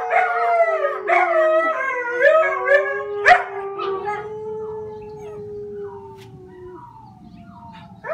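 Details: Howling little puppy gives several rising yelps, then one long falling wail that fades out, followed by quieter trailing whimpers and a faint low rumble.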